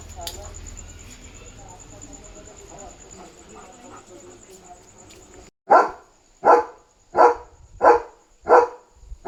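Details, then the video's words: German Shepherd named Leo on night barking duty at home, alerting that another dog is outside; after about five seconds of quiet murmuring and background hum, six loud barks follow, roughly one every 0.7 seconds. "Leo Knew There Was a Dog Outside! Smart German Shepherd"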